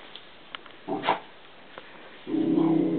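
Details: Millie, a 10-month-old pet West Highland White Terrier, plays with a balloon indoors. After a few soft clicks and a brief low huff, she lets out a steady, low, sustained growl in the final second.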